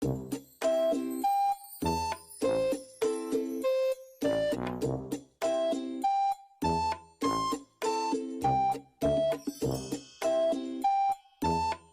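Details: A cheerful chiming jingle plays in short repeated phrases of bell-like notes, each phrase starting with a loud struck chord.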